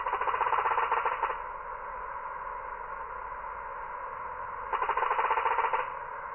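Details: Thousands of cicadas in a villa garden on Gozo, massed buzzing in loud pulsed bursts at the start and again near the end, with a quieter steady drone between.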